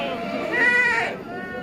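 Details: Bligon and semi Jawa Randu breeding goats, males and females, kept for sale in Java, Indonesia; one drawn-out, harmonic, nasal bleat lasting about half a second rises out of background chatter and music.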